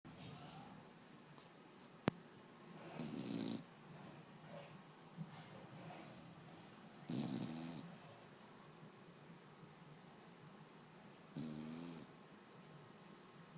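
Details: One-year-old foxhound snoring during a nap: three raspy, rattling snores roughly four seconds apart, each about half a second to a second long, with quiet breathing between.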